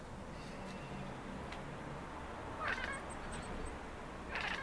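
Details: Maine Coon cats chatter at city birds: short bursts of chattering with faint high chirps in a quiet background, with croaky sounds from a third cat.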